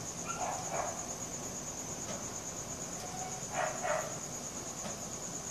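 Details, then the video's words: Crickets at night, recorded on a Samsung Galaxy S4: a steady, unbroken high-pitched trill runs throughout, while a dog barks in short bursts near the start and again past the middle. "CRICKET SOUNDS | RELAXING SOUNDS OF NATURE AT NIGHT"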